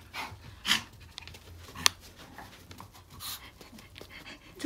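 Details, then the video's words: Jaerongi, a Maltese dog, busy with a dog chew indoors: sharp, scattered clicks and crunches over soft, breathy panting, with a few faint bursts of a woman's voice between them. "개껌에 진심인 강아지"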